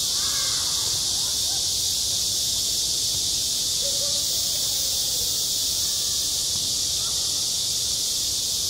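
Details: Midsummer cicadas droning at a school sports ground, their high, even, saturating whine filling every second, while soft distant voices and murmurs sit far below the insect wall of sound.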